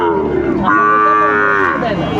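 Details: Sahiwal bull calf at a livestock market in Manikganj, Bangladesh, 30 December: a sustained, steady, strongly harmonic bawl fills nearly the whole stretch, with market murmur behind it.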